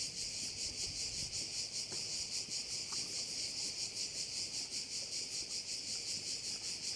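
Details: Crickets along a Korčula bay in Croatia give a loud, shimmering, high-pitched drone that pulses steadily about two and a half times per second, with little else audible.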